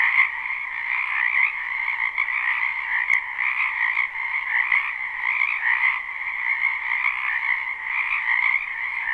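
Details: Live recording of frogs in a wetland in spring: continuous overlapping trills and croaks blend into a constant buzzing chorus, individual calls flickering on top, a single faint click near the middle.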